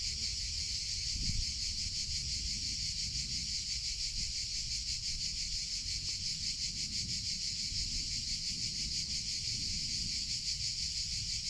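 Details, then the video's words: Cicadas in summer, known in Spanish as chicharra or campanero, making a continuous dense high buzzing drone with faint rapid pulsing that holds steady throughout, over a soft low rumble like wind or distant traffic. "CICADA SOUNDS - Sound Effect of Cicadas in Summer Sounds of Cicada (Chicharra, Campanero)"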